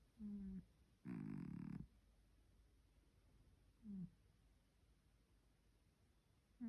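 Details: Repeated snoring from Bokman, a three-legged house cat, while asleep: short nasal rumbling breaths every one to three seconds, one longer and louder raspy snore among them, with quiet pauses between.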